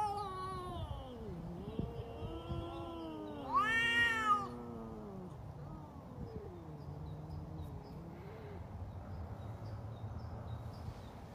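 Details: Domestic cats arguing with each other: long, wavering, low moaning yowls that swell into a loud, harsh rising wail midway, then sink back into drawn-out, tremulous growling moans with a faint rumble underneath.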